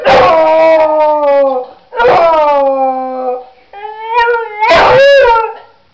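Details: A pet beagle howling in response to an ambulance siren: three long, loud, wavering howls with rich harmonics, each slowly falling in pitch, the last rising and breaking near the end.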